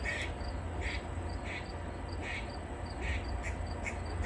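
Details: Grey squirrel in a tree snapping its tail while barking in distress at a nearby predator; clear, rasping chucks repeated about twice a second with a steady low background drone.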